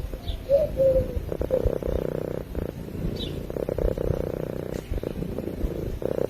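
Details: A domestic cat purrs in its sleep near the microphone: a continuous deep vibrating rumble in rhythmic breathing cycles, with two brief faint chirps early on.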